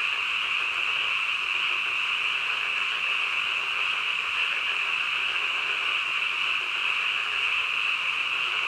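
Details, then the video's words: Frogs in the dead of night, a massed chorus of quick, high buzzing croaks blending into one sustained pulsing hum with no breaks. "한밤중 개구리 울음소리"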